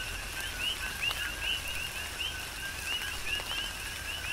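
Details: Coqui frogs in a Big Island, Hawaii rain shower give clear rising chirps every half second or so, several voices overlapping, with raindrops pattering steadily beneath.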